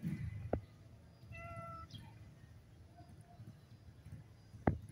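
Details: Blind tuxedo stray cat at a stray feeding, giving a single soft harmonic meow near the middle, with low background rumble and two sharp clicks or knocks.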